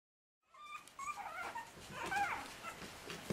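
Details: Puppies aged 40 days, trying to escape, give thin, tonal whimpers that rise and fall and waver around a high pitch, several overlapping cries in quick succession, with faint rustling underneath.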